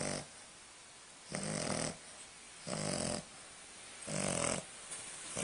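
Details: A new English Bulldog puppy snores in rough, breathy bursts of about half a second each, loud enough to wake a Chihuahua.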